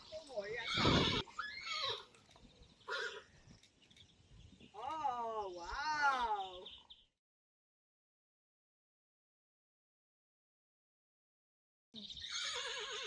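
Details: Friesian horse, Rising Star or Reintje, being photographed: a trembling, wavering whinny of several pulses mid-clip. Dutch talking and handling sounds surround it, with a silent gap before a final burst.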